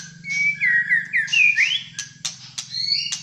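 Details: Malaysian white-rumped shama singing in fighter style: clear whistled phrases sliding up and down, followed by sharp clicking notes and higher whistles, over a steady low hum.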